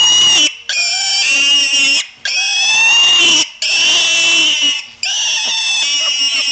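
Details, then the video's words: Pig squealing loudly: long, shrill, harmonic-rich screams about a second or more each, repeated with short gaps, very high and piercing throughout. "Squeal Piggy"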